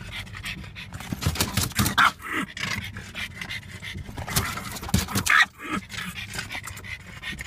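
A French Bulldog growls and snorts in harsh, breathy bursts, irritated by the windscreen wipers.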